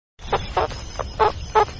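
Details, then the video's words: Meerkat calling: five short, harsh, broadband bursts in under two seconds, each a rough chirping bark, unevenly spaced, with a faint low hum underneath. "som do Suricato"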